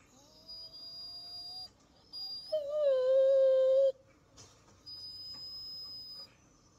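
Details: Female Pit Bull indoors, excited by squirrels shown on TV, gives a thin, slightly rising whine, then a loud, steady, slightly falling howl lasting over a second, followed by quieter high tones in a small room.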